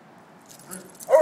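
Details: Two 2-year-old Weimaraner brothers tease and wrestle in New York City, and one gives a short, tonal, whine-like yelp near the end over faint rustling.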